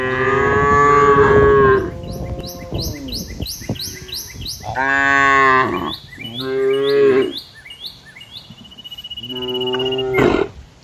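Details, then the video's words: A herd of cows in green fields gives a series of loud, drawn-out, rich moos, several overlapping. Rapid high chirps repeat steadily above them, and a thin steady whine appears near the end. "Funny Cow Sounds Cows Walking Through Green Fields - the sound of cows in the middle of the fields"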